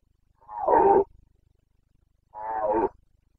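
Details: ['Red deer stag of the Carpathians roaring in the breeding season, Bucovina, 29 September 2022: two rich, hoarse bellows with strong harmonics, each lasting over half a second, separated by a gap of about a second.']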